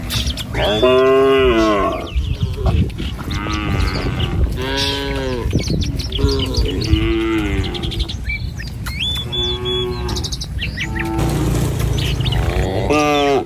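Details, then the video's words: Tame village cattle walk in a line over a wooden bridge toward grass along a wet paddy-field path, mooing often in short and long bellowing calls, one after another, with occasional bird chirps behind. "Gembala Krumunan Sapi Lembu Jinak Berjejer Melewati Jembatan Kayu Menuju Rumput Sedap Suara Moouu"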